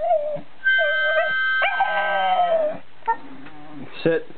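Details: Staffordshire Bull Terrier howling at harmonica playing; wavering howls mixed with steady harmonica tones, a few short sharp sounds near the end.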